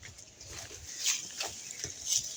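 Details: A male Labrador Retriever gives a few breathy, snorting huffs in quick succession at home; the owner suggests he is sulking at not being let outside.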